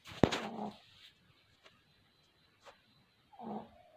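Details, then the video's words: Puppies asleep, snoring: a raspy snore at the start, broken by a sharp click, then a few faint ticks and a second soft, breathy snore near the end. "Snoring Puppies"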